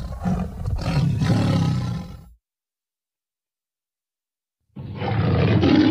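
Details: Tiger giving loud, deep, rough roars with a throaty rumble, broken by a full silence of over two seconds before a second harsh roar starts.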